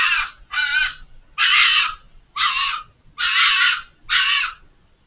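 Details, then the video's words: Fox screaming from behind a hedge, out of sight and very vocal for over five minutes; six harsh, hoarse, rasping screams about half a second each, in quick irregular succession, with quiet gaps and no other sounds. "The chilling sound of a fox screaming"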